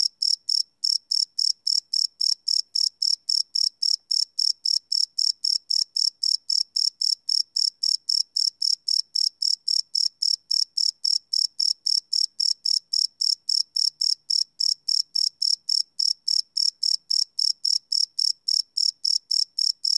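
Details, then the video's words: Cricket chirping at night, recorded live on a field recorder: a steady run of bright, high pulsed chirps, about three or four each second, unbroken for the whole stretch with no other sounds. "Cricket Chirp Sound - Cricket Sounds at Night"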